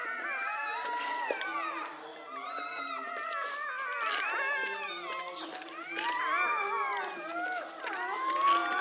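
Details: Newborn American Pit Bull Terrier puppies, filmed live during a litter's birth in Egypt, whine in high, wavering squeals, with several voices overlapping almost without pause.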